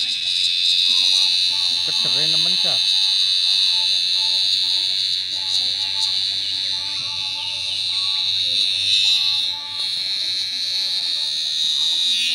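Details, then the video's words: Very loud giant cicada in a field giving a steady, high, piercing buzz that runs almost without a break, dipping briefly once near the end, while people talk in the background. "catch giant cicadas with very loud sounds"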